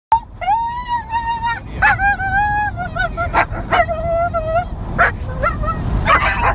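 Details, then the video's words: Young female mid-content wolfdog, a year younger than her brother who is disciplining her, melodramatically whining and crying in long wavering tones that rise and fall, with a few sharp yelps and scuffling noise. "Waylon The Wolf Dog Teaching Little Sis Some Manners"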